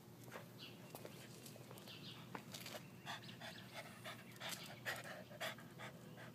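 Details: Bubba, a pet dog who loves getting airborne while jumping, panting in rapid bursts of breathy puffs, with steady low mechanical hum underneath and intermittent clicks and thuds.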